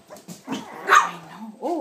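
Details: Puppies seven weeks old, Ava's litter, with pups named Angel and Molly; short yips and a louder bark peak, then rising whiny squeals at the end, while a woman speaks happily to them.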